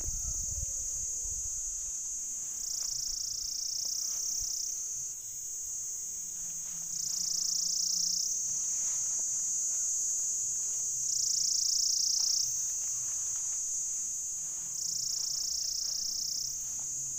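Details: A Pycna repanda cicada's mating call: a steady high buzz that swells into louder bursts about every four seconds.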